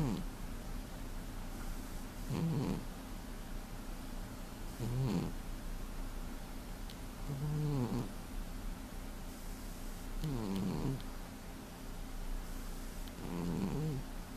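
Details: Heavily sleeping domestic cat snoring, recorded February 2015: low rumbling snores roughly every two and a half seconds, each a short throaty rasp, over a steady background hum.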